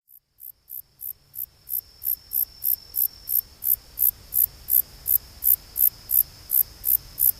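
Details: Long-tailed meadow katydid (Conocephalus gladiatus) calling: very high, dry buzzy pulses repeated about three times per second in a steady series, with a faint continuous high whine behind.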